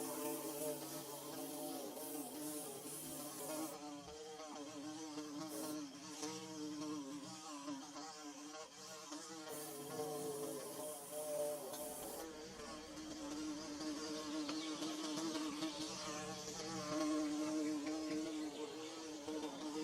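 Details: Bees buzzing while building a hive in Mizoram: a steady, overlapping drone of several wingbeats whose pitch wavers and slides up and down, with brief hiss-like bursts in the background.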